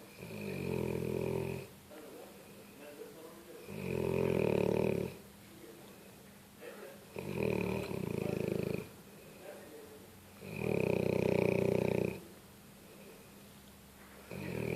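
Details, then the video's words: Pet dog snoring in its sleep, four long, rasping, droning snores, each lasting over a second, coming roughly every three to four seconds with quiet pauses between. "моя собака, Бетховена собакой, храп....."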